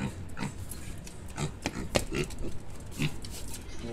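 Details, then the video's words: Mini pig in Medellin performing tricks for its handler, giving short low grunts scattered through a few seconds, mixed with clicking sounds and a person's encouraging voice nearby. "Mini Pig Medellin haciendo Trucos"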